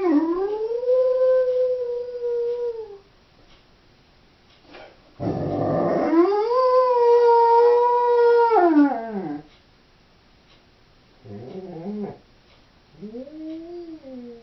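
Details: A female Doberman howling while left home alone: long sustained tonal howls that rise and then slowly fall, one opening with a harsh noisy burst, followed by shorter wavering whines with quiet pauses between.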